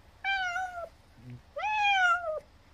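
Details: Old, sickly-looking feral domestic cat with barely open eyes, found at a rural house, crying for more churu treat after finishing it: two drawn-out harmonic meows, each slightly falling then dropping at the end, separated by a brief soft low sound.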